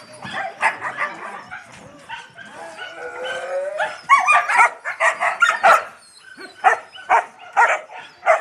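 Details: Yakutian Laika puppies with their mother Rumba, a litter of grubby pups giving rapid, irregular high yips and whining squeals, some drawn-out wavering whines in the middle, tightly overlapping calls at roughly two per second.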